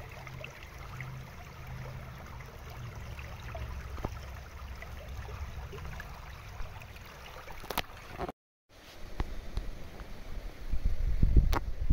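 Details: Low rumbling water and handling noise, with a brief dropout and no animal calls.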